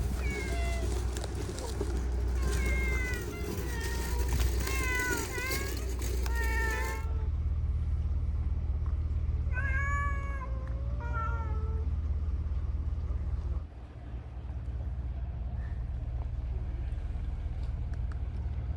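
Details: Free-roaming cats on Manabe Island, a cat island in the Seto Inland Sea off Kasaoka, Okayama, Japan, in March. Repeated rising-and-falling meows come one after another for seven seconds, then a few more after a pause, over a low background rumble.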